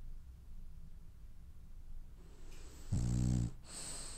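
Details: A French Bulldog dreaming in its sleep: soft breathing, then a short, loud vibrating snore with a buzzy, ridged tone, ending in a hissing breath out.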